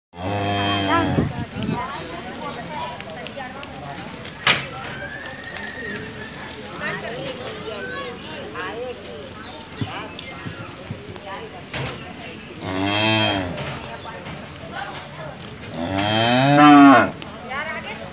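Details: Cow (Bos taurus), moo.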